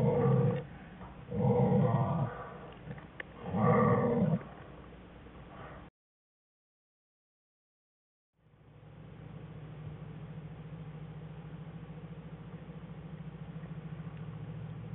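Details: Winter den of an American black bear mother with two cubs, January 5, 2013: the cubs give three buzzy harmonic whines in quick succession over about four seconds, then a pause and a steady low hum continues.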